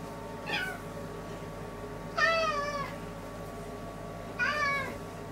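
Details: Domestic cat pacing back and forth in front of a toilet, giving three clear meows: a short falling one, then two longer harmonic-rich meows about two seconds apart, over a steady indoor hum.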